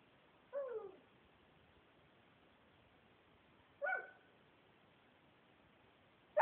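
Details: Dog named Finn barking at the closet holding his treats; two separate barks about three seconds apart, each slightly drawn out and falling, with a third starting at the end, quiet indoor background.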